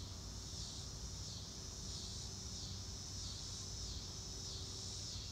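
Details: Insect chorus of crickets under a clear blue sky, real-time nature sound without music: a continuous high-pitched trill rising and falling in slow waves over a soft low rumble.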